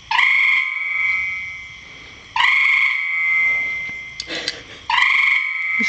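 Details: Three long, even, ringing trills come from a frog in a rain barrel, each roughly two seconds long and separated by short gaps. A faint clatter is heard near the end.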